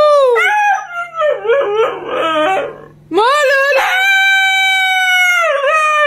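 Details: Siberian Husky howling: a rising, wavering harmonic howl breaks into choppy, yodel-like bent notes, then after a short pause swells into a long, steady, clear-toned howl that dips and wobbles at the end.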